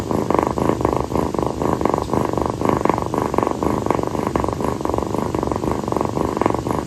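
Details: Rescued calico kitten Kii, female, purring nonstop while resting on her owner's feet at night; dense, even throbbing pulses in rapid succession, about two cycles per second, with no other sounds.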